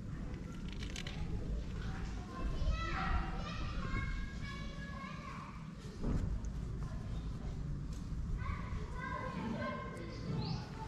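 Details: Several kittens tucked away by their mother in a shaded spot in Morocco mew repeatedly, overlapping high wavering cries rising and falling, with steady low background rumble and occasional human words.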